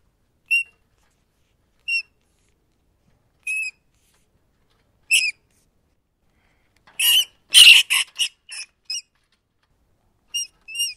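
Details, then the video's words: Rat giving short, high, tonal squeaks spaced one to two seconds apart, then a burst of harsher, noisier squeals and chatter, before two more clean squeaks close the sequence; otherwise silent background. "Ratten Geräusche - Welche Geräusche machen Ratten?"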